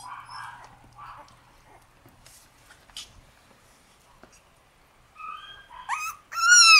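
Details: Shiba Inu puppy, one of a black and white litter of brothers born on 10 June, ending with loud rising-and-falling high whines after quieter scattered rustling and thumps.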